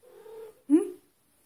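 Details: Maine Coon cat named Peppe, indoors, gives a short two-part vocalisation: a faint steady tone, then a louder bent meow that rises and falls, all within about one second, with a German-speaking voice close by.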